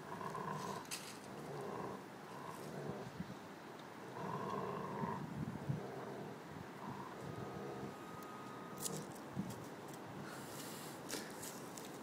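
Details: Ted, a Giant Schnauzer, growls over his bone in low throaty bursts that rise and fall repeatedly, broken by short pauses, with chewing and rustling noises between.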